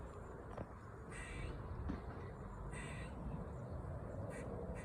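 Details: Squirrel in a park in autumn making a loud, bizarre noise: short, harsh, raspy bursts about every one and a half seconds over steady wind rumble.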